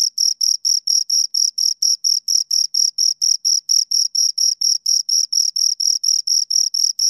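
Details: Pair of crickets producing rhythmic high chirps, evenly spaced pulses roughly two per second, each a bright scraping burst with an upper overtone; clean background without other noises.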